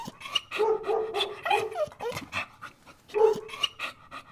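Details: A dog gives a run of high, tonal whining yelps with harmonics, some notes sliding up or down, in short bursts roughly every half second, with breathy panting-like noise between them.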